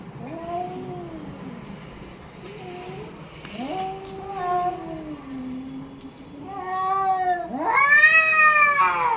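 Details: Orange and white domestic cat making a run of drawn-out, wavering meows that rise and fall, growing louder toward the end with a final strained, rising caterwaul; quiet room background.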